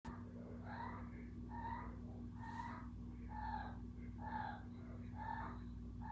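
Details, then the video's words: Kiko the cat making noises: short, tonal, slightly nasal calls repeated about once a second across six seconds, each one brief and similar, over a steady low electrical hum. "Kiko making noises."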